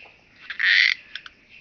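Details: Chabrier's marbled bush-cricket singing in Arzo, Switzerland, on 4 August, recorded with an ultrasound detector; a single broadband buzzy chirp about a third of a second long, flanked by faint short clicks.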